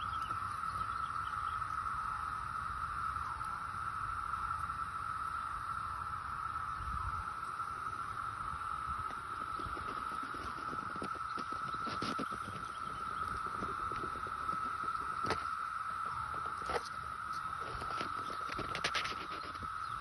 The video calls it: Cicada making a shrill droning noise